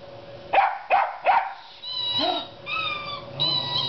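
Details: Dog attacking a squeaking television: three sharp barks in quick succession, then higher whining, squeaky tones from the television.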